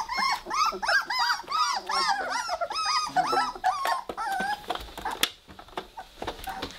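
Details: Weimaraner puppies, three weeks old, at play together: a dense run of rising-and-falling squeaky whines and yelps over the first four seconds, trailing off into quieter scuffling and rustling.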